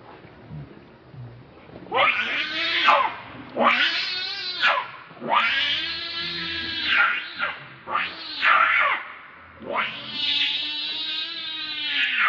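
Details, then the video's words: Angry monkey Rainbow protecting Lucie from Kachoy gives a run of long, shrill, harmonic screams, each arching up and down and lasting about a second, repeated in quick succession with short pauses between. "Rainbow Very Angry To Protect Lucie From Kachoy"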